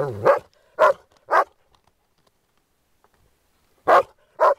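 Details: Groenendael dogs at play, guarding a resource: three sharp barks at a steady pace, then a silent gap and two more barks. A brief low rising tone opens the sequence.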